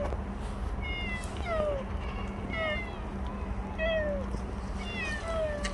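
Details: Stray cat Bolt, filmed for the last time after a year and five months around the household, gives a run of about five short, downward-sliding meows, some clipped and chirpy, against a constant low hum.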